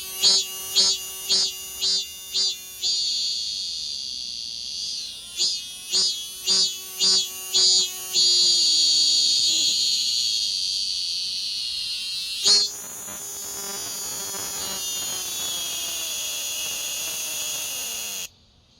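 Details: Morning cicada on a city window screen, waking the household like an alarm: rhythmic pulsed buzzy bursts in quick series, then a long sustained shrill drone, a brief pause, and another drawn-out buzz that stops abruptly.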